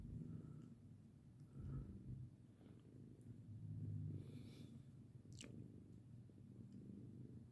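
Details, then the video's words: Pet cat Lirael purring under a hand that pats her, before she tires of it and hisses; deep, uneven rumbling purr with breathy pulses and a short scratchy noise midway. "Purr and hiss! Lirael loves a pat but only until she doesn't!"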